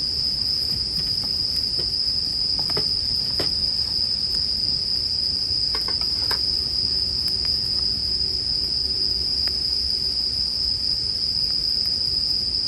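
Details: Bell cricket chirping beside a crackling campfire, arranged as sleep background sound: a steady, high, ringing tone runs unbroken through the whole stretch while sharp wood pops and snaps break in now and then.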